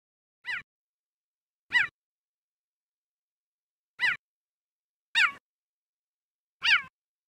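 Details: A male cheetah in Kruger National Park, South Africa, gives five short, high, bird-like chirps at irregular intervals, stuttering calls probably made while looking for a mate in mating season.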